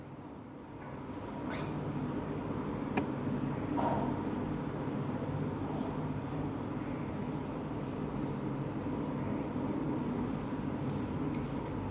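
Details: Steady low mechanical rumble like a passing vehicle, with faint distant voices and no animal calls.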